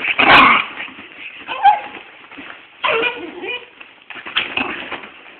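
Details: Two dogs, one little and one big, play fighting at home: short rough barks and yips in bursts around one, three and four seconds, with whimpering between and a voice nearby.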